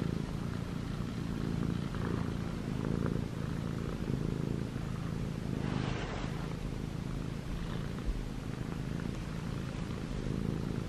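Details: ChoBee, a white and gray male Munchkin cat aged six months, kneads pajamas and purrs; a constant low rumbling drone with a brief rustling burst near the middle.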